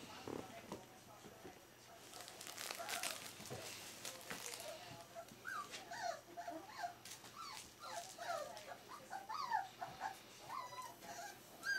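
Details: Smooth-faced Pyrenean Shepherd puppies aged four weeks: clattering and rustling noise at first, then a rapid series of many short, high whimpers and squeaks tumbling over one another through the second half.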